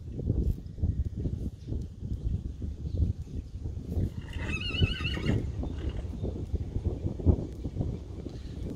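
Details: Breton mare in an arena, starting work on her fourth ridden session; a short wavering whinny rises midway, about a second long, over constant low hoof thuds and movement noise, with a rider being coached nearby.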